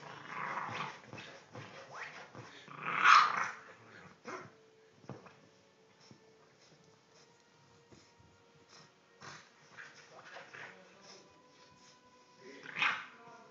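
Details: Playful three-month-old English bulldog puppy growls and lets out short gruff yaps: a burst at the start, a louder one near three seconds and another near the end, with low rumbling and shuffling in between.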